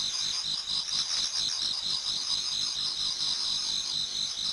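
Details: Many autumn insects singing in a Japanese garden towards dawn: a dense, steady, high shrill chorus of overlapping chirps and trills with a faintly pulsing rhythm and no other clear sounds.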